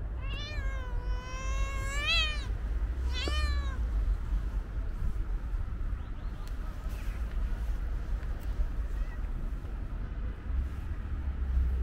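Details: Stray cat meowing outdoors while being fed among a group of street cats: a long, wavering meow lasting about two seconds, then a shorter rising-falling meow, over steady low rumbling background noise.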